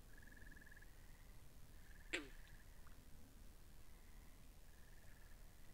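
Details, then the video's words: Frogs by the pond, recorded with binaural microphones: a chorus of faint, even-pitched pulsing trills, broken by one sudden, loud, clipped call around two seconds, above low ambient rumble. "Two Hours Of Frogs By The Pond"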